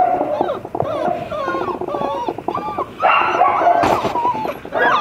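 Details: Dobermann puppy siblings, black-and-tan and chocolate, whine and whimper in high, wavering, overlapping cries that rise and fall, growing louder in the second half.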